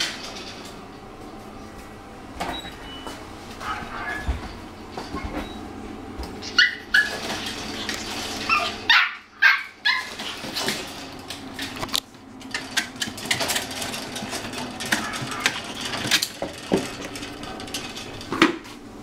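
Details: Male puppy, the second son in the Melody litter, just over three months old, filmed on November 16; short high whimpering and yipping bursts rise out of steady room noise, clustered near the middle and again toward the end.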